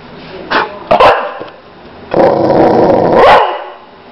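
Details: Boxer dog named Lila, a female, giving two short sharp barks near the one-second mark, then a longer drawn-out growling woof from about two to three and a half seconds, with a person calling her name.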